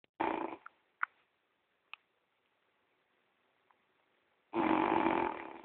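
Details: French Bulldog named Gordon asleep at home, snoring loudly like a person: a broad rasping snore opens, then near silence with faint clicks, then another long harsh snore.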